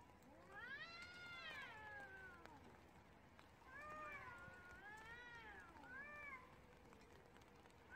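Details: Street cats fighting in the rain, giving long wailing, arching yowls that rise and fall, several drawn-out cries overlapping, with a steady hiss of rain throughout.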